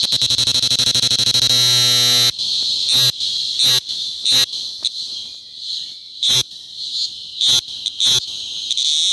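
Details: A cicada on a tree trunk in Macuiltépetl Ecological Park, Veracruz, during a mass emergence after rains, sings a loud, shrill, steady buzz that opens with a coarse rattling pulse.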